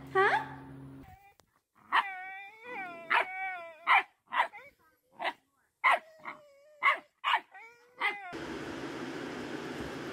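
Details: Puppies giving a run of high, whining yips and whimpers, about ten bright pitch-bending cries over eight seconds with short quiet gaps between, ending in a burst of broadband rustling noise.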